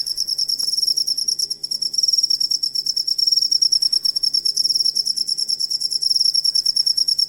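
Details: Cricket sound meant for teaching songbirds: a high, metallic pulsed chirping that surges in short bursts with brief dips between them, and a faint steady low hum underneath.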